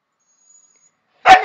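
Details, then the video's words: Chester and Laika, pet dogs being told off the terrace, talk back: after a second of near silence comes a single loud, sharp bark, rough and slightly falling at its tail. "Chester and Laika arguing"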